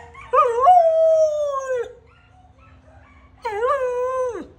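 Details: A male Samoyed kept as a pet gives two clear, tonal howls. The first rises, holds a long steady note and then drops away. After a quiet gap comes a shorter, slightly wavering second howl that falls at the end.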